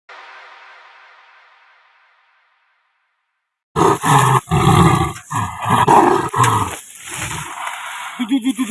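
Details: Sumatran tiger caught in a trap: a faint fading rumble, a pause, then loud, rough, broadband roaring and growling bursts in irregular pulses, ending in shorter rapid throbbing growls.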